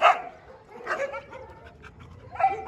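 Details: Dobermann dogs at a large kennel: three sharp barks spaced about a second apart, with quieter background rustle between them.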